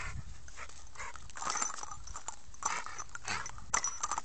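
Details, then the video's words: American Staffordshire Terrier named Sam giving breathy, broadband puffs and snuffles, like quick panting, spread unevenly over about four seconds, with a low steady hum underneath. "American staffordshire terrier - SAM"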